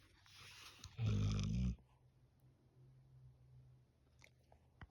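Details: A Golden Retriever gives one short, low, harsh groaning burst lasting under a second. A quiet indoor room with a faint steady low hum follows.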